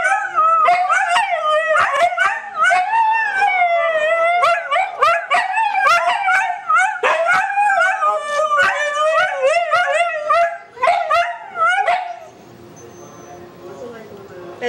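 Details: Huskies kept as pets howling together after hearing a sound from a computer: dense overlapping wavering howls with short yips, ending abruptly near twelve seconds and leaving quiet room noise.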